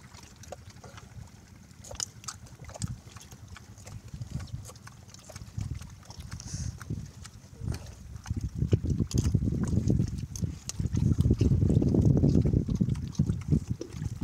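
A wild boar grunts and snuffles in low, rumbling bursts that grow louder and denser toward the end.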